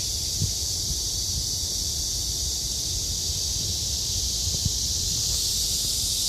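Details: Cicadas droning through a summer day beside Haguicheon stream: an even, high, hissing buzz sustained without pause, over a low murmur of background rumble and a couple of faint taps.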